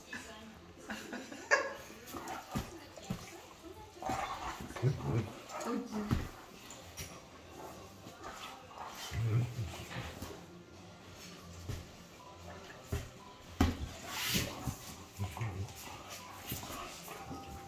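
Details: Two Great Danes, male Diego and female Wijke, in rough "catfight" play as he mouths her head: deep, rough grumbles and short whimpers rising and falling in bursts, while a person speaks German at intervals.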